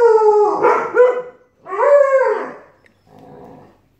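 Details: Siberian Husky and Alaskan Malamute puppy arguing, their exchange turning into howling: two drawn-out, wavering howls with rich harmonics, the second rising then falling, followed by a softer, rougher trailing vocalisation.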